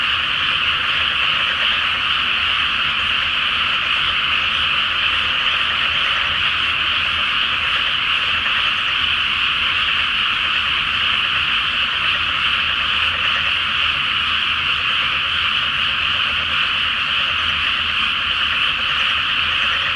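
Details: Full-moon night over a flooded rice field before planting, where a great frog chorus forms a constant, thick buzz of overlapping croaks, steady in loudness from start to finish.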